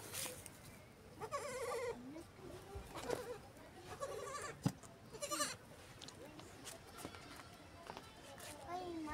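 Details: Goat during milking, giving short quavering bleats near one and a half and three seconds, wavering in pitch, with people talking over and between the calls.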